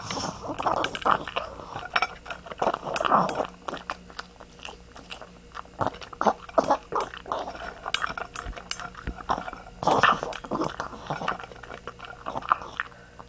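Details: Zoey, a pet dog, grunting indoors: bursts of rough, noisy low grunts and snuffles come in irregular clusters, mixed with clicking, chewing-like sounds.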